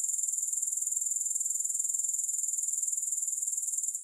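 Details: Brief stretch of grasshopper sound, a very high, shrill, evenly throbbing trill with quick regular pulses and no music or other noise.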